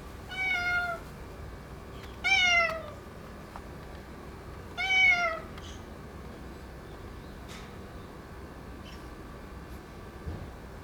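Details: Boss ginger tabby tomcat, dominant in its area and newly neutered, fawning affectionately; three loud, clear meows sliding downward, roughly two seconds apart, then quiet with faint clicks.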